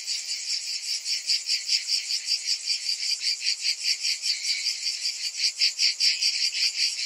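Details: Cicadas in summer, a dense chorus of many insects: a high, hissing buzz that pulses steadily, swelling and fading about two to three times per second, with nothing else heard.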